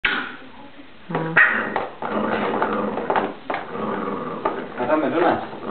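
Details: Czech Terrier named Adam z Kamenice reacting to an empty food bowl: loud, low grumbling vocal sounds with a steady low-pitched whine near the one-second mark, followed by uneven harsh bursts and rising moans.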